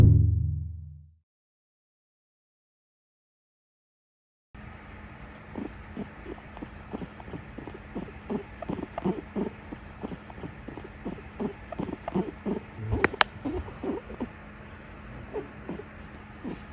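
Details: Angry female Netherland Dwarf rabbit during her monthly grooming visit, giving a rapid run of short low grunts, about four a second, after a few seconds of silence, with one sharp louder burst midway.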